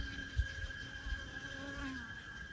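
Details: Many large cicadas, 5–6 cm long, at mineral springs in Oaxaca, Mexico, drone together in a continuous buzz held on a steady pitch, with faint overtones and a slight waver, over low rumbling wind.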